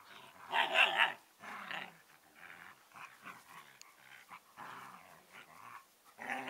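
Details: Collie puppies, two siblings eleven weeks old, in vocal play: a loud harmonic yelp-growl near the start, then a run of shorter grumbling, whining and growly vocal bursts with brief pauses between them.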